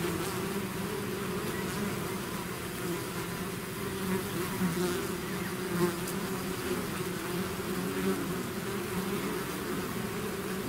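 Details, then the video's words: Bees swarming out of a hive produce a rich, throbbing buzz, two strong low hum bands rising and dipping gently over a soft hiss, with occasional nearer fly-bys swelling briefly. "bees therapy swarm natural buzzing sound"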